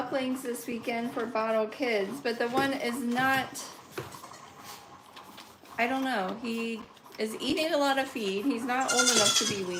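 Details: Goats at a farm where kids are being bottle-fed and bottle-trained: repeated quavering bleats with wavering pitch, several in quick succession, mixed with a person talking indoors.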